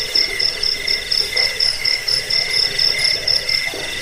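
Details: In a recording used against rats, as a sleep aid and for training birds, crickets give rapid, high, pulsed chirps. The highest voice comes in short repeated bursts about four times a second over a steady trilling layer.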